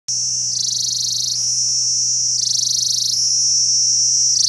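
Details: Kashmiri cicada squeaking at the start of autumn: a loud, shrill, continuous high buzz that steps up and down in pitch in a regular cycle of roughly one to two seconds.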